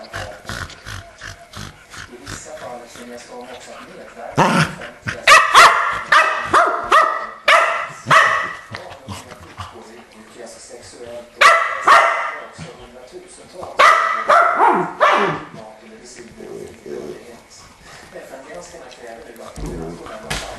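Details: Barking from the Keeshonds Charlie and Fiffi in two rapid volleys of repeated barks, one mid-clip and one later, separated by quieter stretches with human voices talking in the background.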